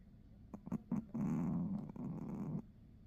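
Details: Pomeranian puppy asleep during a nap, snoring: a few soft clicking breaths, then a long, low, rough rasping snore lasting about a second and a half, steady and even, in a quiet indoor room.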